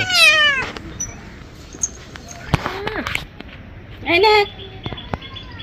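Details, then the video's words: Pet cat, angry while being given a bath, gives two loud, strained meows: a harsh falling wail at the start and a shorter, rising-then-falling yowl near four seconds, with a woman talking softly in Bengali and faint splashing in between. "Today our cat looks angry while taking a bath"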